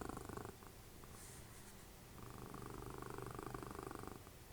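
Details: A snoring pet cat, Dessie, mother of Fritjof, cuddling during TV watching. A short stretch of low, raspy breathing, one quieter pause, then a longer rumbling breath with a slight pulsing texture.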